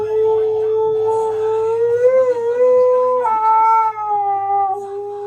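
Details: Male husky singing with weird sounds: a long, sustained, tonal howl that wavers slightly, lifts in pitch near the middle, then settles lower and holds to the end.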